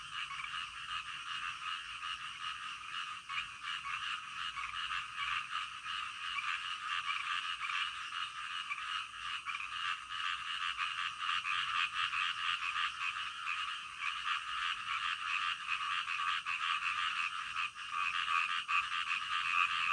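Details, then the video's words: A dense frog chorus in the middle of the night, rapid overlapping croaks that keep up without a break. "SUARA KODOK DITENGAH MALAM-AKAN MEMBUAT KITA TIDUR NYENYAK"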